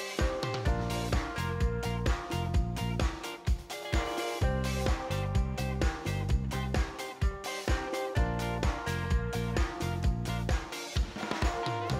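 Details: Dense band music with a driving beat, guitar and drums fills the whole stretch, and no animal voice can be heard.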